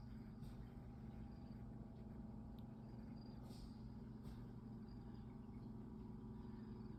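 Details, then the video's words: Purring of Goose, a male pet cat, as he yawns: a low, continuous vibrating hum holds even from start to finish, with faint scattered higher noises over it. "Adorable yawning and purring cat"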